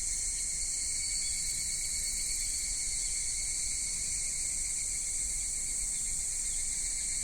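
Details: Summer cicada chorus recorded in Kitakami, Japan, at Michinoku Folk Village and Kitakami Tenshochi, minmin-zemi through to evening higurashi: continuous shrill, even buzzing in stacked high bands with no pauses, plus a soft low outdoor hum.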